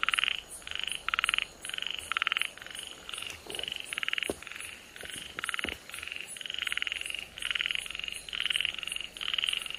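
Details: Namie's frog, recorded 31 July 2022, gives rapid, rattling pulsed notes, repeated about twice a second.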